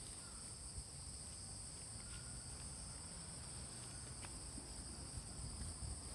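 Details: A lively autumn insect chorus fills Fujimori Park, Hachioji, on a rainy-cooled morning, 6 September 2020, with light rain falling. Dense high trilling hums steadily in two pitch layers over a broad wash of low ambient noise.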